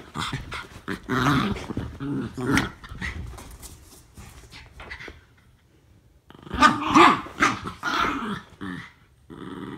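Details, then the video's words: Two Norfolk Terriers play-wrestling indoors; bursts of harsh growling and snarling, a quiet pause of about two seconds, then a louder run of growls with a short yelp-like note. "Norfolk Terriers Wrestle To A Draw"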